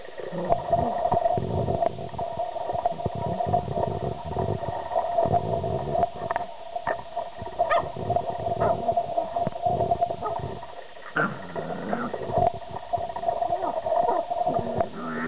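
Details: Male collie x husky dog growling and making funny noises during his afternoon burst of playful energy; continuous rough, low rumbling growls with short gaps and throaty grunts, over a steady mid-pitched hum.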